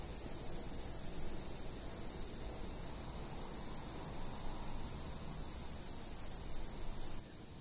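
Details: Insects chirping, recorded by a fixed camera: a steady high-pitched ringing drone runs throughout, with short bursts of brighter chirps repeated irregularly over a faint low rumble.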